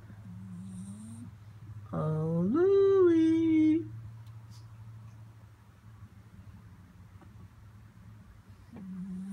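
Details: French Bulldog indoors, pestered by its owner while trying to sleep: one loud, drawn-out groaning whine that rises then levels off, bracketed by faint, low grumbles.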